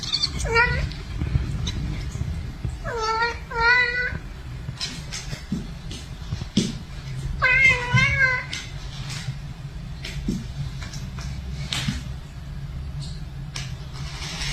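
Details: Pet cat meowing in three separate bursts: a quick falling mew, then a doubled wavering meow, then a longer quavering one, with clicks, rustles and faint voices between calls.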